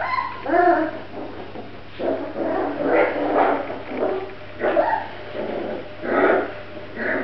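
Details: Several Grand Basset Griffon Vendéen puppies whimpering and yipping in short bursts about once a second, soft wavering whines overlapping, with a constant low electrical hum underneath.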